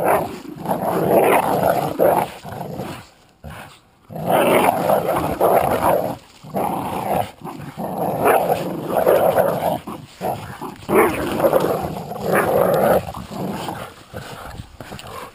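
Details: Jack Russell Terrier versus American Staffordshire pit bull playing tug of war, growling steadily; gravelly, grinding rumbles run in long stretches broken by several short silences as grips shift.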